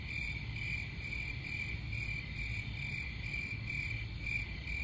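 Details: Cricket chirps pulse in a shrill narrow band, roughly two or three per second, with a low steady rumble underneath.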